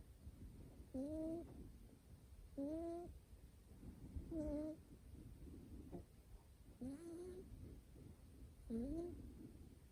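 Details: Nico, a young male short-haired Scottish Fold kitten with folded ears, snoring in sleep indoors: soft, squeaky, rising whistled snores repeated about every two seconds, five to six in a row.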